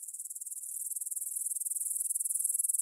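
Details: Meadow grasshoppers near the Svensky monastery, Bryansk, Russia, stridulating at 9pm on 6 September 2020, captured in stereo with a Tascam DR-44WL: very high, rapid ticking pulses, about twenty a second, growing steadily louder.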